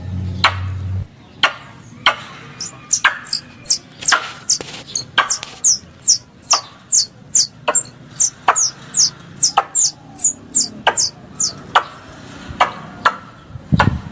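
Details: Squirrel calls made as a hunting lure: irregular knocks and clicks open, then a quick run of high, descending squeaks about twice a second, ending with more sharp clicks.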